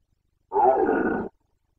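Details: Rutting Carpathian red deer in Bucovina, Romania, 2021: a single raw, grating roar of under a second, loud at first and then holding steady before it cuts off into silence.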